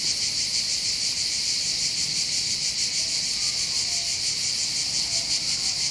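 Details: Above the port of Bandol on the Côte d'Azur, Var, southern France, massed cicadas keep up a steady, shrill, rapidly throbbing buzz, with no other clear sounds.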